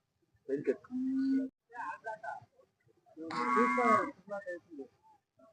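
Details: Hallikar cattle at the Jodugatte cattle market, held every Sunday: a short steady low moo, then a louder, rougher drawn-out bellow, with market chatter around it.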